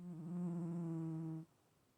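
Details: Snoring from Stache the cat, an even, low, buzzing hum with a slight waver at the start, held for nearly one and a half seconds and then cutting off into silence.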